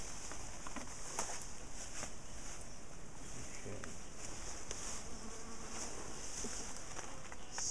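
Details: Buzzing from a big top bar hive colony as its combs are lifted out for splitting and moving. The steady droning hum runs throughout, broken by scattered clicks and knocks from handling the hive.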